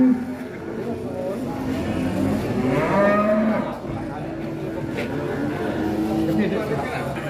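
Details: Qurban sacrificial cattle weighing about one ton, billed as the biggest, being unloaded from a truck; a drawn-out, low harmonic moo swells near the middle amid crowd chatter and background music.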